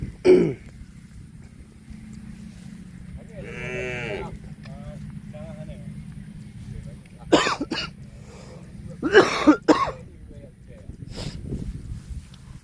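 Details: A cow lets out a short, slightly wavering moo amid low background hum, with people talking and coughing nearby and brief knocks and clatters.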